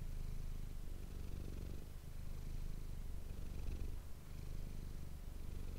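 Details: Close-up purring from the domestic cat Manis, picked up by an ASMR microphone: continuous low throbbing vibration that swells and eases with each breath, with two short softer gaps.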